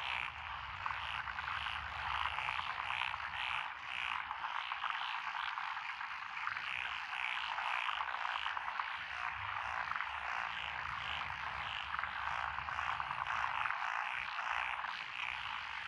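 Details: Rice paddy frogs among lotus plants in Echizen, Fukui, Japan, recorded 12 June 2021, including tree frogs and wrinkled frogs. A thick, continuous chorus of rapid croaking trills fills the air, with individual pulses overlapping steadily throughout.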